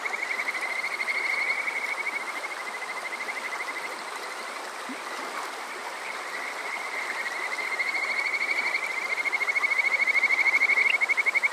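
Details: Kajika frogs at Yokoze, Chichibu, Saitama, Japan, on a summer night, recorded with a TASCAM DR-05X: long sustained high trills that swell and fade, louder toward the end, with rushing water throughout.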